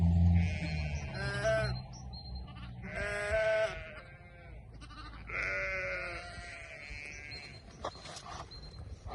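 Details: Sheep on a farm giving loud quavering bleats with rich harmonics, three main calls spaced a few seconds apart, each wavering and slightly falling, with a low hum underneath.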